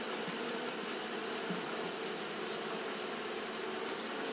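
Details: On a hot day Japanese honey bees keep up their fanning, producing an even droning hum that never breaks, with a constant shrill hiss running above it.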